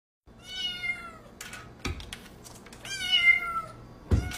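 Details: Cat giving two drawn-out meows, each a harmonic wail gliding slightly downward, separated by clicks and light knocking in a small indoor room, with a brief exclamation at the end.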